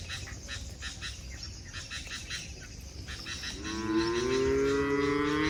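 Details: Forest-herded cattle heading to their shed: rapid regular high pulsing fills the first seconds, then one loud, sustained, slightly rising moo begins and holds to the end.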